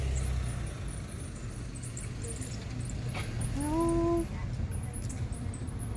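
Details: Little lost kitten calling from under a car, later rescued and adopted; one clear, level, sustained meow lasting about half a second over steady low engine hum and faint high ticking.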